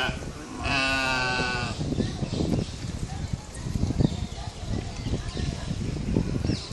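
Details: Corsican mouflon at Barcelona Zoo giving a single nasal, harmonic bleat lasting about a second, followed by visitor chatter and background noise.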